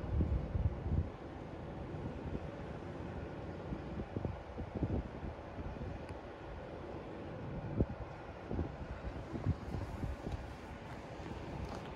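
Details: Steady wind and low engine rumble fill a harbourside scene, with occasional thumps and no animal voice.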